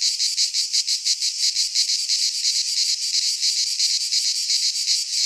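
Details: In a Greek pine forest at midsummer, many cicadas sing together, producing a steady shrill rasp that swells and dips in quick rhythmic beats about three per second, continuous throughout.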